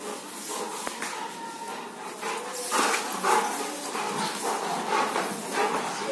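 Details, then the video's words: Bolt, a Rottweiler, mid play-fight: uneven runs of gruff, voiced sounds, strongest near the middle, roughly two a second, over constant background hiss with faint speech. "Fighting with Rottweiler"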